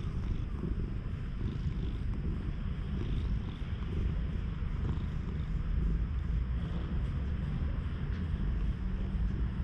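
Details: Low, even purring from a stray cat as it is groomed with a cat brush, filmed with a GoPro HERO8; the deep rumble holds steady for the whole stretch with faint brushing noise on top.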